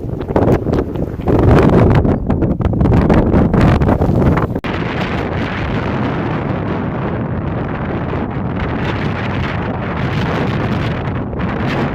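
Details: Heavy wind buffets the microphone in loud gusts, then settles into a steady roar of wind noise with no clear birdsong.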